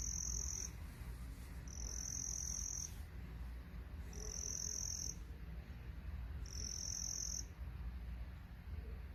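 A cricket gives high, shrill, buzzing trills, each about a second long, over a low background rumble.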